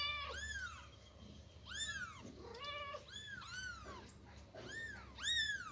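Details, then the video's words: Persian kitten meowing loudly while its mother moves it from a box to the floor; five clear, high, arching meows spaced about a second apart, each rising then falling, with quiet indoor background. "Persian cat moving her kitten from box to floor | kitten meowing loudly"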